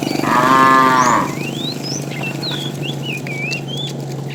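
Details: Tame cows herded in the afternoon; a fat cow calls the female with one loud, brief harmonic moo at the start, followed by a series of rising bird chirps over a low steady hum.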